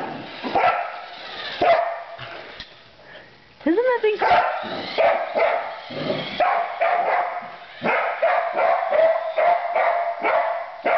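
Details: Female border collie in her first play session with a new remote-controlled truck, a Christmas present, herding it like sheep: sharp barks and yips in quick bursts, with a tonal whine near four seconds and people talking.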